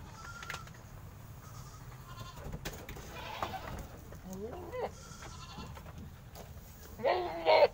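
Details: Peranakan Etawah goats gathered for procurement in Aceh Besar, Indonesia; scattered quavering bleats, a loud harsh bleat near the end, with clatter and background noise from people and surroundings.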